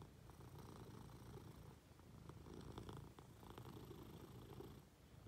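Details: Munchkin cat snuggling up to its owner in bed, giving a soft steady low purr with gentle breath-paced swells and light fabric rustling.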